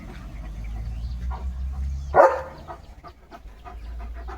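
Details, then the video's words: A single short, sharp bark from Leo, a German Shepherd, rises out of steady low-pitched rumbling background noise. "Leo The German Shepherd ची भुंकण यंत्रणा सुरू"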